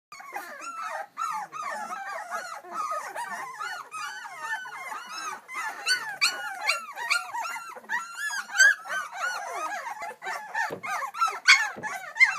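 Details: A litter of two-week-old English Springer Spaniel puppies, hungry and calling for their mother, fill the air with dense, overlapping high squeaks and whines, many small voices rising and falling continuously throughout.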